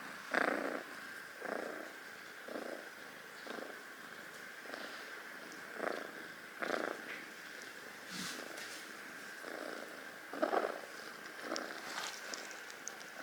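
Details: Rescued, adopted kitten sleeping indoors, possibly on Amami Oshima, Japan: soft rhythmic purring with breathy pulses about once per second, steady and low-level throughout, with a faint background hiss.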